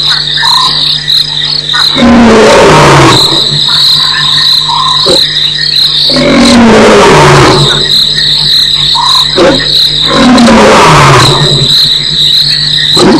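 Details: A lion (Panthera leo) at Nkorho on 11/21/08 roars three times, each deep moan sliding downward, over a steady insect hum. An animal is walking in the background and is probably the roarer, though this is uncertain.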